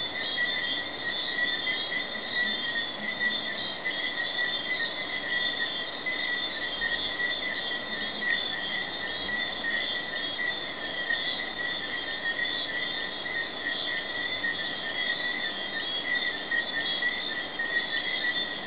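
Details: Night chorus of Jamaican tree frogs recorded in May 2008 at Hidden Paradise in Negril, Jamaica; a dense, continuous, steady high-pitched trilling wall of calls with no pauses throughout.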